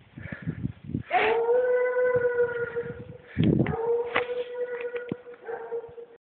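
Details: Seven-year-old male Treeing Walker Coonhound trail dog, used to trail deer; long drawn-out bawling bays with a steady tone, two main bouts, mixed with shorter chopped sounds and rustling.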